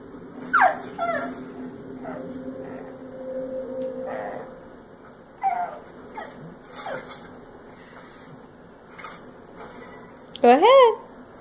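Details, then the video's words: Kupo, a female pug, whines in frustration because she cannot get the toy she wants. High, thin, downward-sliding whimpers come in short bursts, with a long steady tone early on and a louder rising-falling whine near the end, indoors in a quiet room. "Frustrated Pug"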